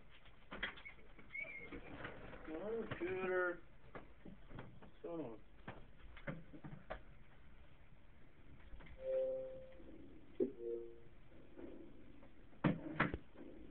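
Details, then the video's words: Siberian Husky named Nikolai singing along as the Skyrim theme starts up; rising and falling yodel-like howls and vocal wavers in bursts, with music and other sounds in the room. "Husky sings along to Skyrim Theme"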